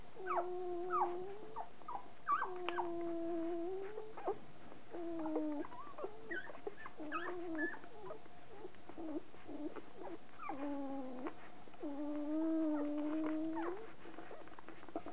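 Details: Newborn poodle puppies, two days old, crying in a series of whining, tonal squeals that rise and fall, with some held steady for a second or more, overlapping and repeating almost without pause in a quiet room.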